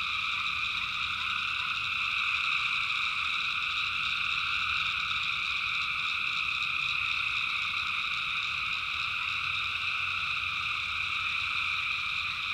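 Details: A dense night chorus of many tree frogs, possibly mixed with crickets, in a swamp in the backwoods of North Carolina: an unbroken, high-pitched trilling wall of sound that pulses faintly and never stops.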